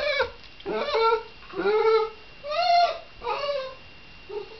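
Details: Shiba Inu dog giving a series of about six drawn-out, nasal whining calls, each rising then falling, spaced roughly a second apart with short silences between.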